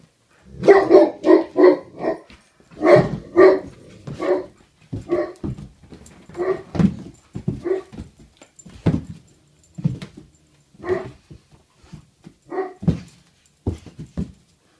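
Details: A male Great Pyrenees puppy, 82 days old and one month into life with its family, at full excitement on 13 March 2015. It gives bursts of high, ringing yips in quick runs of three or four, then spaced single barks with soft thuds between.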